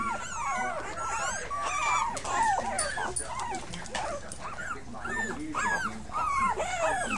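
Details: Puppies of a five-pup litter crying in quick, overlapping arched whimpers, nearly two per second, high and wavering, a busy chorus of little whines with a soft hum underneath.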